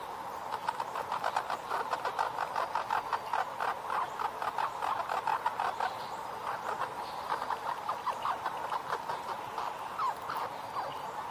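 A squirrel chatters in a fast, steady run of rough, clipped notes.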